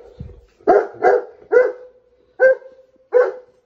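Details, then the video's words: Saint Bernard barking loudly: five strong, rough barks, the first three in quick succession and the last two spaced further apart, with a person speaking briefly just before. "Saint Bernard Barking Loud"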